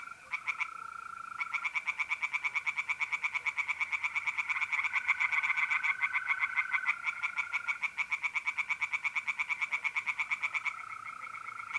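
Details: Tree frogs singing in a pond on an April night in north-east Italy: several overlapping, rapid series of pulsed croaks run almost throughout. A steady, unbroken mole cricket trill hums underneath.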